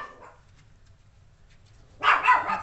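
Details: Yorkshire Terrier puppies, 32 days old: after near silence, a short burst of high, squeaky overlapping puppy yips lasting under a second, with a faint low hum underneath.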